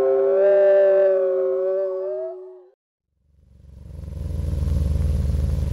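A wolf gives one long, steady howl that wavers slightly and rises at the end.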